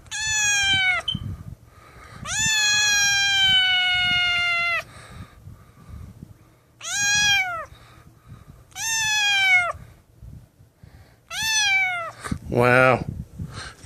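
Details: A lost, abandoned kitten found in the street, malnourished and shaking, gives loud drawn-out meows, five long harmonic cries falling slightly in pitch, spaced a few seconds apart, with a shorter rough call at the end and quiet speech between.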